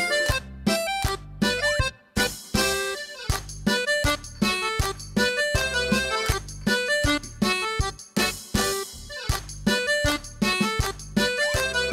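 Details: Bouncy, comic keyboard and accordion music with punchy rhythmic stops, no animal sounds.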